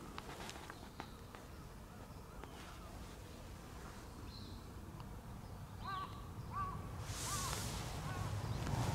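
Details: White-and-tabby cat with a kinked, hooked tail meowing at someone's feet: four short, quiet, arched meows in the second half, spaced about half a second apart, over low background rumble and a rustle near the end.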